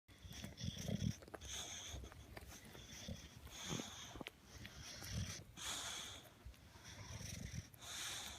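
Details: English Bulldog chewing on a toy and making funny noises: low snorting, grunting bursts every second or so, with repeated high squeaky tones between them.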